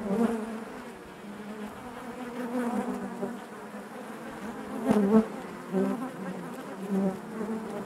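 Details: Honey bees buzzing inside their hive: a dense, steady hum with wavering overlapping drones, swelling briefly near the fifth second, no other sounds.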